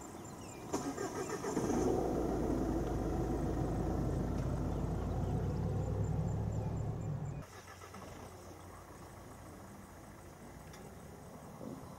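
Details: A vehicle engine idles with a low rumble for about seven seconds, then cuts off, leaving quiet outdoor background with no animal calls.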